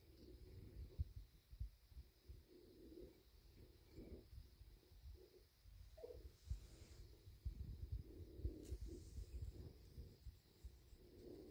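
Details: Low throbbing purr from a male bobcat lying content after eating deer meat, having had dove the day before, the deep rumble rising and falling in uneven pulses with soft rustles.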